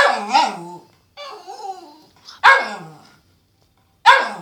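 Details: Poppy, a Cairn terrier pet dog, gives several sharp barks with whining, yelping tones between them, loud bursts spaced about one to two seconds apart.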